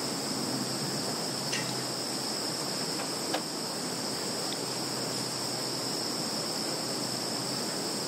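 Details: In a field in Zhukovsky district, Kaluga region, Russia, on 11 September 2019, a steady, high-pitched insect chorus rings without pause, a shrill unbroken shimmer from many callers.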